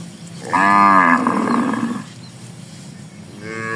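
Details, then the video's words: Tame cattle herd grazing in a broad rice field in the morning; one loud rich moo of about a second and a half trailing off, then a second moo beginning at the end, with soft outdoor background. "Suara Sapiii"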